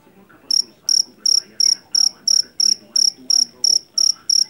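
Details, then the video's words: After a short quiet start, a rice-field jangkrik jeliteng cricket from Java begins sharp, high-pitched chirping, roughly three chirps a second, loud and regular over faint background noise. "SUARA JANGKRIK PENGUSIR TIKUS SUARA ASLI"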